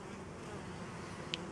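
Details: Honey bees gathering at a homemade pollen substitute while flowers offer no wild pollen; a steady, dense, low buzzing hum runs throughout, broken by one brief sharp click near the end.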